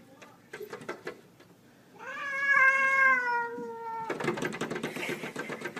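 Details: Cats fighting through glass: after scattered tapping and knocks, a long drawn yowl with clear harmonics holds steady then slowly falls over about two seconds, followed by rapid scratching and clattering against the pane.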